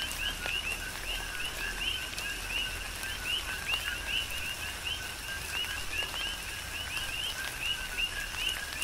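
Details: Coqui frogs calling together in tropical rain on the Big Island of Hawaii: a constant stream of brief, bright, upward-sliding chirps from many frogs, with dripping raindrops and soft rain noise beneath.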